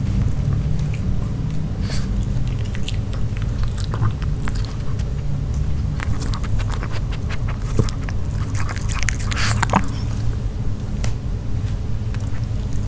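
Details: Nino, a pet dog, eating grilled pork in a quiet close-up recording: repeated crisp crunches and wet bites, clustered densely around the middle, over a steady low rumble.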